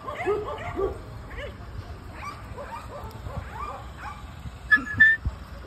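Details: Dog giving a run of short, high, whining yips in quick irregular succession, several each second, with a brief clear whistle-like tone near the end and a soft background hum.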